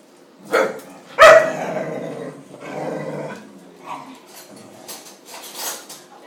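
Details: Short, sharp barks or yips in a busy household of dogs: a Dalmatian with thirteen pups, Jack Russell Terriers with three pups and a two-year-old English Bull Terrier. Two loud bursts come close together, followed by softer scuffling sounds.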